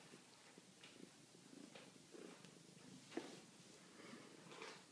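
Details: Quiet purring from Maxwell, a kitten at the Chemung County SPCA: a faint, even low rumble over a few seconds, with light rustling and one sharp click partway through.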